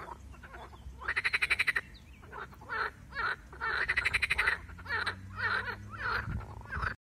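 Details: Marsh frog, whose attack by a grass snake is also covered, calling in quick rattling bursts broken by short nasal gurgles, with a faint low hum in the background during the second half.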